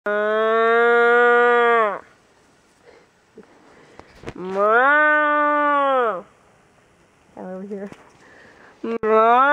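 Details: Cattle being herded: long, steady, drawn-out moos of about two seconds each with a falling end, two of them separated by quiet, then a short broken call and a rising moo starting at the end; faint talk in between.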